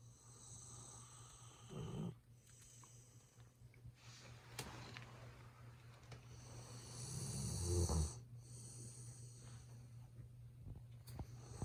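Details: Golden Retriever named Ibuki asleep indoors, snoring noisily, filmed on a smartphone held close: two rough, low snore bursts around two and seven seconds, quieter breathing between, over a constant low electrical hum.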